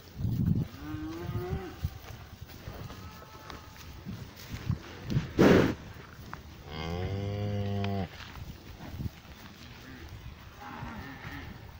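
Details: Pasture cows: a brief low moo early on, a sharp bump midway, then a strong harmonic moo lasting about a second, with quiet rustling between.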